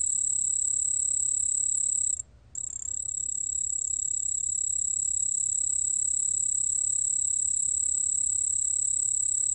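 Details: White-whiskered bell cricket song recorded by a national biological resources institute in 2020: a continuous high, pure ringing trill with a faint overtone, broken once by a short gap near two seconds before resuming steadily.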